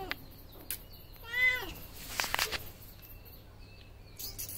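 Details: A cat's short, wavering meow, rising then dropping, is followed by loud broadband rustles and a faint high whistle-like tone in the background.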